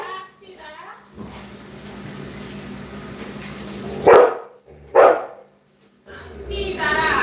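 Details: Labrador Retriever giving two loud, abrupt barks about a second apart over a hissing background, with a person speaking Bengali before and after.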